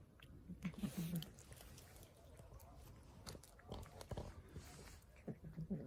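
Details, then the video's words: Hungry stray street cat eating and making low, short murmuring noises, one near the start and another near the end, between crunchy chewing and biting sounds. "Hungry street cat eating and making funny noises at the same time"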